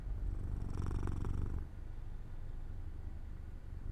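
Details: Jojo, a domestic cat, purrs while falling asleep near an open window in the sunlight; a low rumbling purr swells into one louder inhaled phase, then settles into a quieter steady drone.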